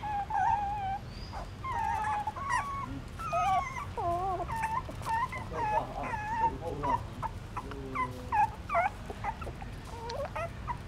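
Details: Newborn puppies, hungry and suckling their mother's milk in a pagoda stupa in Siem Reap, Cambodia: many high, wavering whimpers and squeaks, bending up and down and overlapping, with soft wet clicking sounds underneath.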